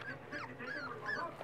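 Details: Three male longhaired dachshund puppies, four weeks old, from Lilee's litter, being fed supper indoors; high, squeaky whines slide up and down in quick overlapping bursts, with a woman's soft voice just before and after.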